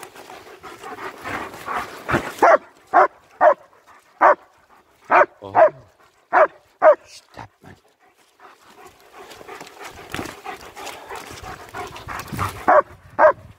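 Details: Two German Shepherds, Nico and Zeeva, on a winter walk in Hawick, Scotland, recorded on a Samsung S23 Ultra phone: a run of sharp, loud barks roughly every half second, a pause with rustling, then a few more barks amid voices.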